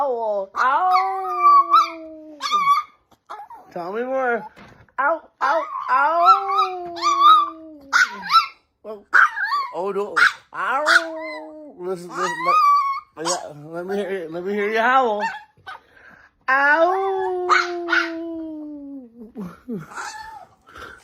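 A Chihuahua gives a series of thin, wavering howls that rise and fall, with a person speaking in between.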